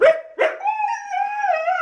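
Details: Husky named Phoenix answering a question about making a mess with two short yelping bursts, then a sustained wavering howl held steady to the end.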